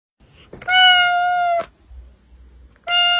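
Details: Domestic cat giving a steady, flat, strongly harmonic meow of about one second, followed by the start of another after a pause; sound used to attract cats.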